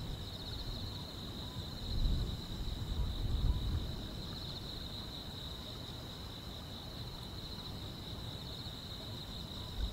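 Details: Continuous thin, high trilling of grass insects on a summer night, level and unchanging, laid over low rumbling noise that briefly grows louder early on.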